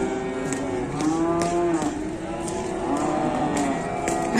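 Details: Fierce cow making a racket, heard as a long, low, wavering moo under steady background noise and faint repeated clicks.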